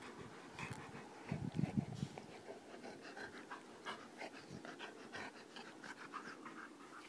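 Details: A Labrador Retriever waiting for Santa breathes in quick, rough pants. A louder burst comes near the second second, with a faint whine-like rasp. The pants are spaced fairly evenly to the end.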